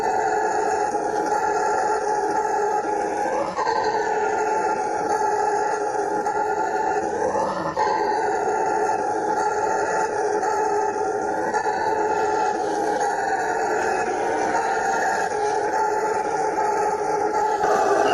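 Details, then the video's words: Howler monkey (bugio) giving a sustained, resonant roar, an unbroken rumbling drone with slight swells in pitch twice early on, loud and even to the end. "Som de BUGIO"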